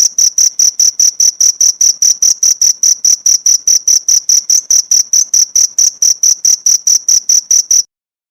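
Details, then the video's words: A cricket chirps for a pleci (white-eye) songbird training recording: a steady run of about thirty shrill, high-pitched pulses, some four per second, then stopping abruptly into silence. "Masteran jangkrik untuk isian burung pleci"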